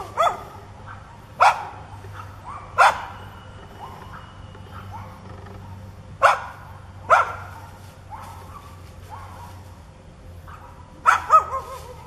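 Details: Aggressive neighbour's dog that charges when a back is turned barks in single sharp bursts spaced a few seconds apart, some with brief whining tails, over a constant low hum.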